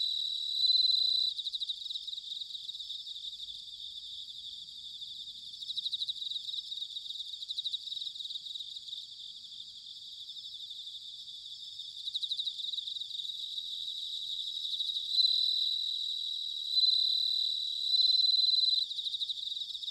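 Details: Autumn bell cricket song recorded in Sanuki, Chiba Prefecture: a steady chorus of high, rapidly pulsed chirps, louder at the start, with bright ringing bursts repeating toward the end against a quiet background.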